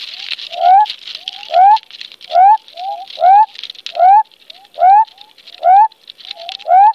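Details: A male western spotted frog calls from within his burrow deep underground in muddy ground, giving short rising whooping notes a little faster than once a second, a mating call to attract females.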